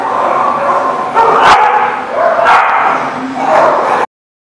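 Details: Dogs at The Barking Lot, recorded 10/4/19, keep up a dense, continuous din of overlapping barks and yips. Louder, sharper barks break through roughly once a second near the middle and end, ending abruptly in silence.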